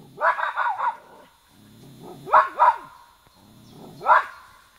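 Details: Irish terriers Emka and Zorka, with barking in three short bursts across about five seconds: a quick run of yelping barks, then a doubled pair, then a single loud bark, with low whining sounds between bursts.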